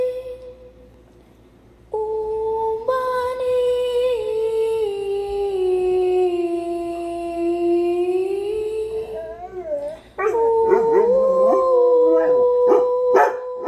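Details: Pet dogs singing and howling indoors: a long held tone that slowly sinks over several seconds, then wavering, overlapping howls that rise and fall.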